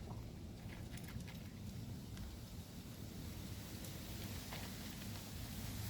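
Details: Steady low rumble of rain and wind with scattered faint patter and ticks, no animal voice heard.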